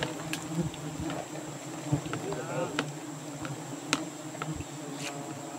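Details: Giant honey bees droning at their nest in Borneo in the rainy season, an even low hum dotted with sharp clicks and taps, with faint voices in the background.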